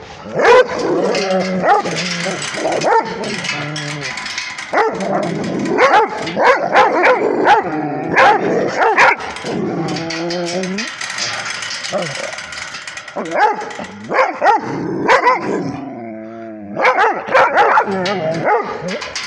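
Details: A Rhodesian Ridgeback barks at a tablet: loud, continuous, excited barking and yipping. Whiny, wavering notes are mixed in, and the barks crowd together with hardly any quiet between them.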